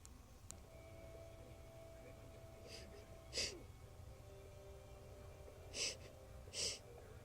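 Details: A circus lion sniffs in short, breathy bursts of air, a few seconds apart, over a low background hum.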